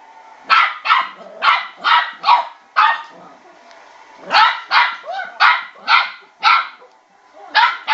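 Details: A male West Highland White Terrier puppy, about 12 weeks old, gives sharp, high-pitched yapping barks in quick bursts at a spinning bowl.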